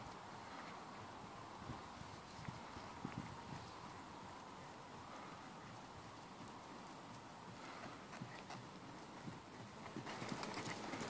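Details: Mare born in 2009, offered for sale; soft, irregular hoof clops under steady broadband background noise, the beats coming quicker and a little louder toward the end.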